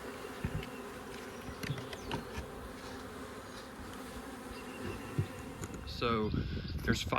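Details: A swarm of Western honey bees with a queen, lured into a baited box in a deer stand in 2025, gives a dense, steady, loud hum of very active bees, with a man's voice near the end.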